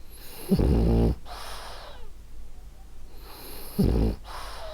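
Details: Ariva the French Bulldog, a female, snores in her sleep: two loud, buzzy, rattling inhales about three seconds apart, each followed by a breathy hiss of exhale.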